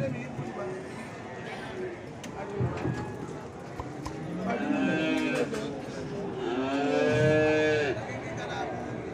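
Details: Cattle being loaded onto a truck at Singosari cattle market, Malang, East Java, Indonesia, one slipping in the truck bed; two drawn-out moos, the second louder and longer, over busy market noise and knocks.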